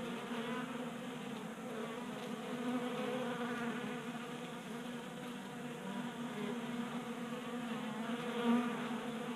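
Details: Many honey bees feasting at a tabletop feeder in a Colorado garage in January, active because of late warmth; continuous overlapping buzz with a low hum that swells gently, and one brief louder pass near the end.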